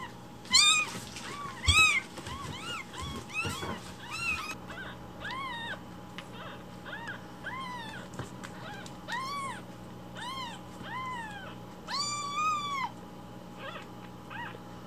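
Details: One-week-old foster kittens, rescued, umbilical cord still attached, indoors. A long run of high arched meows, loud bursts early, then a steadier series of quieter cries over a low hum.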